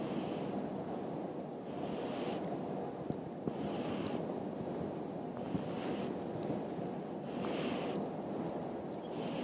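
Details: Sleeping French Lop rabbit snoring, a steady breathy rasp that swells and fades about every second, with soft high squeaks over constant low background noise.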